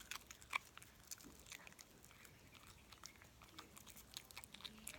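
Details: Dog crunching a snack indoors in a small room: dense, crisp crackling bites and chewing clicks repeated rapidly throughout, uneven in loudness, with a quiet room background.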